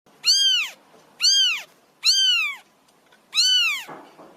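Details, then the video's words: Stray kitten begging for food: four loud, high, arched meows in quick succession, each rising then falling, spaced about a second apart, in a quiet setting. "ANAK KUCING LIAR MINTA MAKAN"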